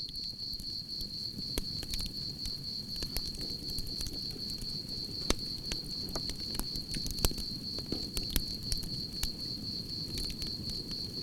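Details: Crickets chirping in a steady, high-pitched pulsed trill that runs unbroken, beside a crackling campfire with sharp pops and a low roar of flames.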